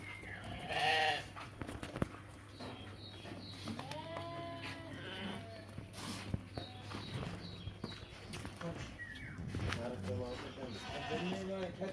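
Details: Sheep and rams at a crowded livestock bazaar, with wavering bleats around 1 and 4–5 seconds among steady background murmur and a man speaking Uzbek about prices.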